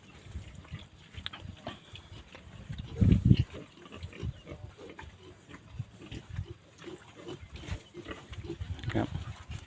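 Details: Wild boar from Phu Phan, the single breeding sow, producing low, irregular snuffling grunts in rapid series, with one louder burst near the middle, under faint background noise.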